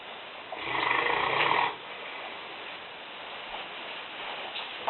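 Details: A female Newfoundland named Lena, aged five and weighing 150 pounds, snores in a kitchen: one harsh, gravelly inhaling snore near the start, then soft room noise with faint clicks.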